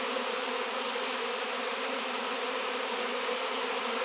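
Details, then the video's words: Swarming honey bees at a raw 7 lb chunk of shungite, locally unseen for years; a constant dense buzz from countless wings, smooth and steady in volume from start to end. "honey bees swarm"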